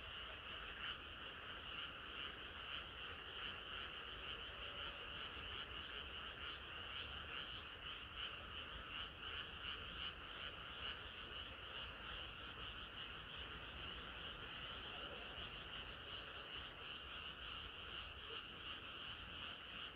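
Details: A summer-night frog chorus, many callers croaking at once in a dense, shimmering pulse that barely varies over twenty seconds, with a faint low background rumble beneath.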